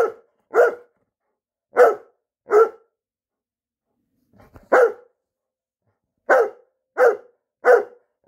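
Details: Persistent night-time barking from a Newfoundland: short resonant barks in loose pairs and triplets separated by gaps of about a second or more, with a faint thump in a quiet room between bursts.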